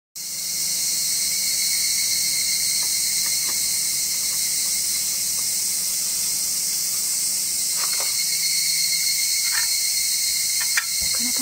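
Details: Evening cicada (Tanna japonensis, higurashi) in mid-August during an Obon grave visit gives its "kana-kana" song, a dense, shrill, high pulsing trill with faint clicks and a steady tone.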